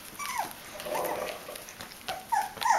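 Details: Bichon Frisé puppies aged five weeks, from a kennel in Vejle, Denmark: a short falling whine opens, a soft low murmur follows, then two brief squeaky whines rise at the end amid light clicking.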